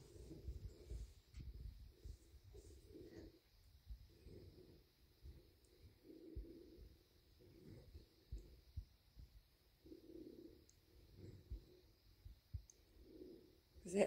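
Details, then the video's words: Bobcat named Big, a pet, purring contentedly after a meal of deer meat and a belly rub; low, throbbing rumble rising and falling in soft swells about every second, with occasional handling thumps and brief human voice nearby. "Bobcat happy after deer meat and belly rub"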